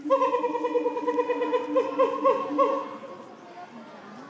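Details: Gorilla screaming in the Shabani group, December 2023 at breakfast, as female Nene chased silverback Shabani with her son Kiyomasa following: a sustained, strained, richly harmonic wail with wavering pitch for about three seconds before trailing off.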